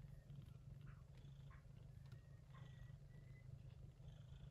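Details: Yupi, a gray shorthaired Persian Chinchilla mother cat, caring for her kittens born in an early-September typhoon, purrs in a deep, evenly pulsing rumble, with brief thin high chirps over the top.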